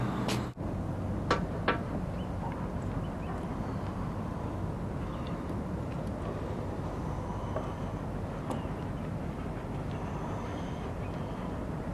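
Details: Steady low rumble of passing vehicles or a train outdoors near San Francisco Bay, with a few sharp knocks early on and no animal voices.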